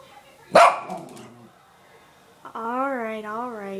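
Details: Indoors, the Bichon Frise Mya gives one sharp, explosive bark, then a pause and a long wavering tone that rises and falls in pitch.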